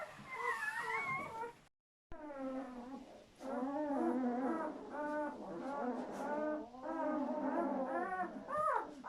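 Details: Newborn German Shepherd puppies from a litter of seven, just delivered during whelping, crying in overlapping high squeals and whines that rise and fall, several voices at once, broken by a brief silence near the start.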